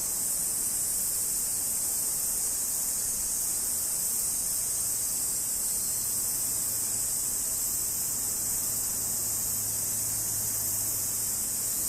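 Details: Large brown cicada, known in Japan as aburazemi, giving a steady, unbroken sizzling drone that stays high and even throughout, with faint low rumble beneath.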